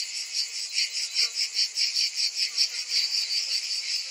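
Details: Cicadas in summer: a dense, shrill buzzing chorus that throbs steadily about two and a half times per second, with no other sounds heard.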